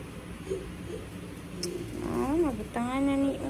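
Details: Sleepy female cat throwing tantrums indoors: after soft low murmurs, two short complaining meows, the first rising then falling, the second a longer level whine with rich harmonics.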